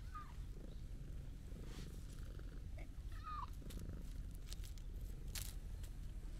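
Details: Stray calico cat, small and rounded, rubbing affectionately against someone: continuous deep pulsing purr, broken by two soft short mew-like chirps early on, with faint ticking outdoor noises.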